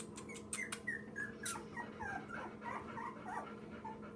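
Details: Two-week-old Labrador mix puppy named Daisy, one of nine rescued lab-mix puppies with their mother Minnie, gives soft high squeaky whimpers and short yips in a rapid irregular string, over a steady low indoor hum.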